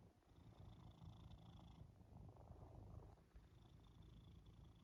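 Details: A pet cat snuggled on someone's back as they nap after the gym, purring continuously: a deep, grainy rumble that rises and softens in breath-length cycles, with a faint high hiss in the background.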